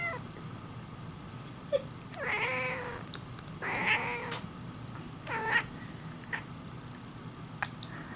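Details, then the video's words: Kiara, a pet cat that meows whenever one particular person coughs or sneezes, answers with three drawn-out, nasal meows about one and a half seconds apart in a quiet indoor room, with a low background hum. "Cat Meowing After Coughs"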